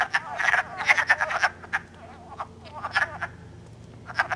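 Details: Chorus of wood frogs in Elmer, New Jersey, calling and mating early in spring on March 3; rapid duck-like clucks bunched in the first second and a half, then sparser scattered croaks.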